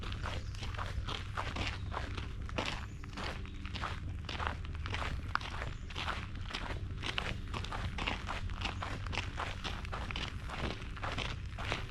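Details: Steady crunching footsteps on a woodland trail at Reinstein Woods Nature Preserve in Buffalo, over a low background hum, with no animal calls.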